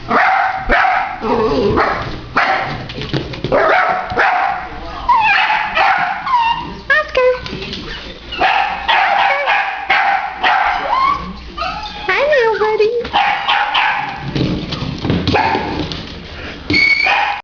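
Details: A three-legged dachshund with one leg in a cast hops around, giving sharp, repeated barks and yips at a plumber downstairs, with a man's voice talking in between.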